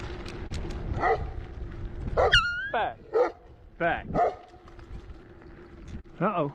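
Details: Puppy during training, trying to bite its handler, gives a series of high yelping barks and whines with sliding, wavering tones, some rising then falling, spread over several seconds, while a man speaks commands nearby over a low steady hum.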